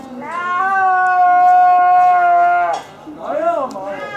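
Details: Captive snow leopard at Asahiyama Zoo, Japan, calling on 6 December 2011: a loud, sustained harmonic cry held steady for about two and a half seconds, then a shorter wavering cry with a rising and falling pitch.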